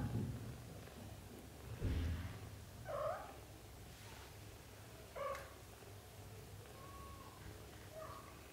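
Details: British Shorthair mother cat with her kittens, let out onto the floor to practice walking; soft, short mews near three and five seconds, then thinner faint calls, over low rumbling handling and movement noise.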